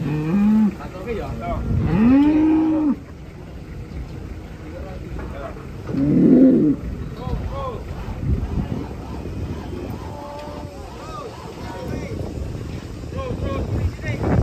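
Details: Indonesian cattle coming down from a wobbling truck: two loud arched moos near the start and another around six seconds, followed by quieter bellows under background chatter and thumps.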